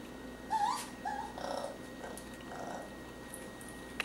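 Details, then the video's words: Young raccoon lost in a kitchen in early July 2013, giving a few short whimpering, wavering squeals that rise and dip, spaced about a second apart, with quiet room noise behind. "Young raccoon, lost in the kitchen, makes amazing sounds and vocalizations"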